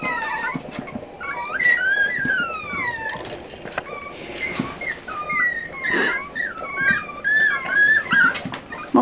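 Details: Forty-day-old Miniature Schnauzer puppies, a litter of eight being weaned by their mother indoors; a chorus of thin, bending whimpers and squeaks overlapping, with a brief soft rustle midway.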